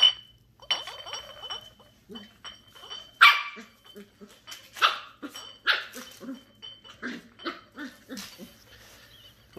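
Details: Ten-week-old female Shetland Sheepdog puppy, Ollie, meets her first bottle of Coke indoors. She gives sharp, scattered puppy barks with crinkly plastic rattling and a faint steady whine underneath.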